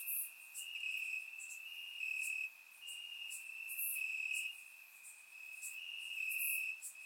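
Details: Night chorus of crickets chirping in Bulgarian grass on a warm summer evening: one sustained shrill trill rising and dropping in loudness in blocks of about a second, with scattered brighter clicks above.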